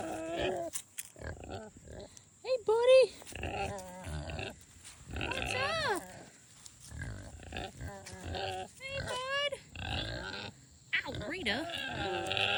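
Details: A female Kunekune pig gives soft honking grunts broken by sharp, rising squeaks.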